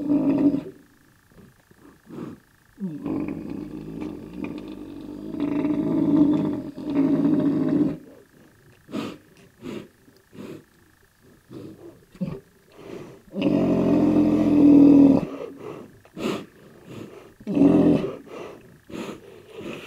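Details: Black rhinoceros (Diceros bicornis) in an aggressive mood: repeated long, rough, low roaring growls lasting several seconds each, separated by quiet gaps and sharp snorting bursts.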